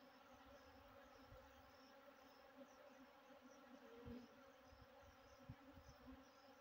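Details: Western honey bees (Apis mellifera) at feeding give a steady, low, droning wing buzz holding one pitch throughout.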